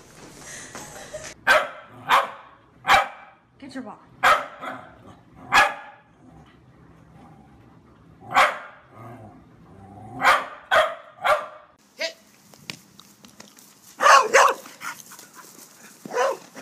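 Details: Mona Lisa, a Pembroke Corgi kept as a family pet, gives about a dozen short, sharp barks in irregular bursts across sixteen seconds, with people talking in Spanish between them.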